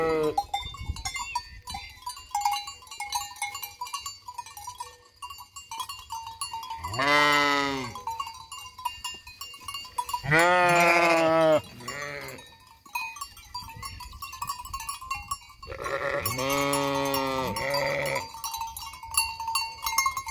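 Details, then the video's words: A flock of sheep by the vacant Hotel Fürigen bleats in loud, wavering calls, with tinkling bells in the background. "Blökende Schafherde beim leerstehenden Hotel Fürigen"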